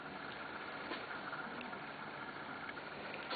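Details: Steady hissing broadband noise, like wind or water rush, with a few faint knocks and no animal sound.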